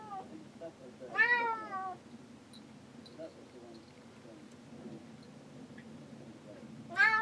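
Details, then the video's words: Pet cat stuck inside a boat cabin while men work outside on deck, crying to be let out. One loud meow near the start and another at the very end, with faint voices and low background murmur between them. "Boat Cat crying...Let me out!"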